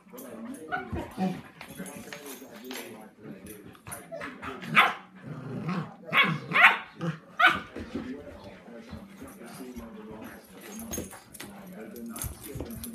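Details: Puppies Sandy, 10 weeks old, and Rozzie, 7 months old, at play indoors: sharp barks and yips burst out in a loud cluster midway, among softer growly play noises, with a person talking in the background.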